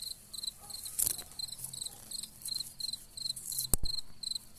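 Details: Cicadas singing among wild gladiolus, their high buzzy pulses repeating in short bursts, broken by a few sharp loud knocks and rustles close by and a faint low hum.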